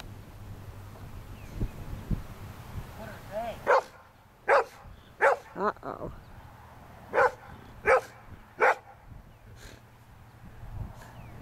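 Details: Old English Sheepdog barking at sheep to herd them: a string of about seven sharp, loud barks at uneven intervals, with a person talking and faint bleating earlier.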